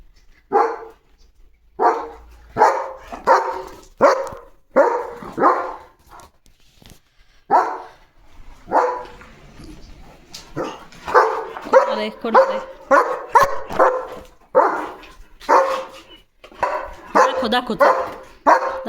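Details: German Shepherd dog on evening guard duty, barking loudly at something outside that turns out to be a small puppy; loud broad barks singly and in quick bursts, some spaced a second or two apart, denser toward the end.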